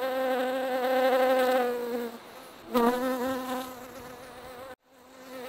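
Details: Bee hive on 31 July 2018 with wasps being evicted: close insect buzzing with a steady harmonic drone that fades around two seconds, then a sharp rising buzz and thud, trailing into quieter humming.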